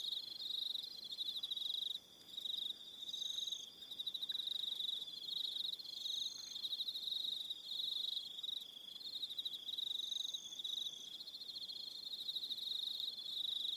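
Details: Evening chorus of crickets on Aroha Island, New Zealand. A steady, high-pitched trill of rapid pulses carries throughout, dips briefly, then resumes. Short higher whining notes come and go over it.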